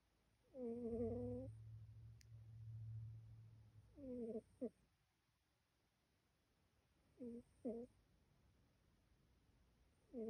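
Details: Sleeping female pet cat snoring indoors: short, whistly, tonal breaths spaced about three seconds apart, some of them broken into two quick parts. A low steady hum sits under the first few seconds.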